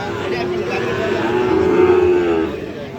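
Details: Sahiwal bull calves at the Aftabganj cattle market in Bangladesh, 6 August 2025: one drawn-out, mid-pitched moo that swells and fades over about a second, with market chatter and voices behind it.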